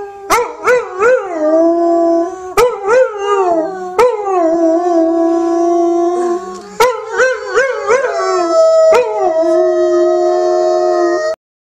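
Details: Ben, a pet dog, howls in duet with a singing woman; repeated phrases start with sharp yips sliding up, then settle into long sustained howls, about five phrases before falling silent.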